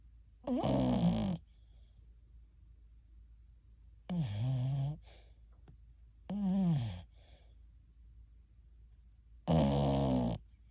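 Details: American Cocker Spaniel TuTu, a ten-month-old pup, snoring in its sleep indoors like an old man during an hour-long snoring spell: four rasping, harmonic snores, each under a second, wavering up and down in pitch, separated by quiet pauses of two to three seconds.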